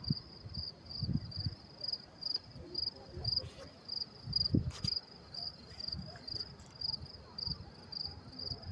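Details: Crickets chirping around 10:30 p.m. on May 28, 2024, at the Mets–Willets Point train station in New York City, a steady, high, pulsing chirp over a low urban rumble.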